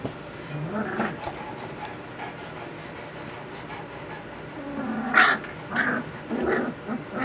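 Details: Puppies 2 weeks and 6 days old, just learning to use their voices: after a quiet stretch, a few short, soft whimpering squeaks rise and fall near the end, with faint clicks and room noise.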